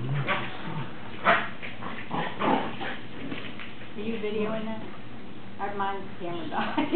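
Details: Ten-week-old greyhound pups playing with their mother, giving short sharp yips and a few whiny, wavering harmonic cries in scattered bursts, with people talking and laughing close by throughout.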